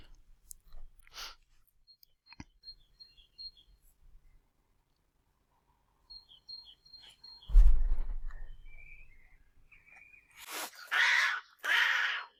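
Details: A female domestic cat, warning off an approaching male cat near an apple tree, gives harsh, breathy hisses and sputtering defensive sounds to make him back off.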